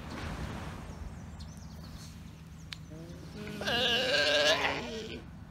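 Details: Galapagos Islands sea lion father and hungry pup disturbing his nap time: after quiet moments with faint background rumble, a single drawn-out wavering bleat, rich in harmonics, rises and holds for about a second and a half.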